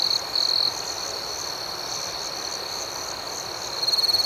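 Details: Night crickets ringing steadily, with a loud trill at the start and another rapid, pulsing trill rising at the end over a constant high-pitched chorus.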